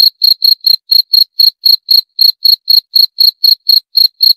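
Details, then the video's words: Cricket giving clean, shrill chirps that repeat evenly about four times a second throughout. Nothing else audible. "26 Menit Suara Jangkrik - 26 Minutes Cricket Sound Effect"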